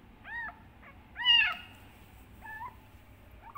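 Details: Kitten calling loudly for its mother: short arched meows spaced about a second apart, one louder and longer in the middle, otherwise a quiet background.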